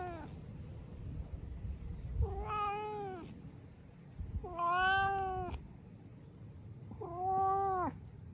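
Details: Ginger tabby stray cat savouring a stroking massage, giving three long, bending meows about two seconds apart, each sliding up then down in pitch, over a low rumbling outdoor background.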